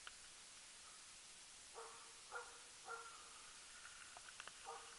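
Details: Swedish Elkhound Rapp on a loose-dog elk hunt in 2012, the tenth elk of the year: a few faint, distant barks spaced irregularly, the first ones scattered, then a pair close together, over a steady background hiss.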